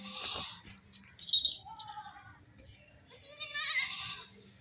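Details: Young goats playing and jumping; a few short, wavering bleats, the loudest near the end, with thumps and rustling between calls.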